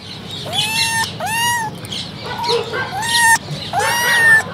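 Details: Three young kittens, the litter of a domestic cat, meowing: four high, clear, harmonic meows in under five seconds, each rising briefly and then holding steady, with a faint low hum underneath.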